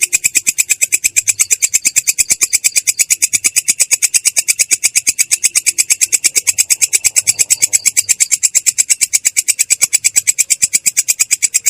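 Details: Belalang kecek, a katydid, rolling in the ngerol style, clear and rough: high, harsh clicks run together into one long steady trill, slightly quicker and very regular, with faint low background murmur.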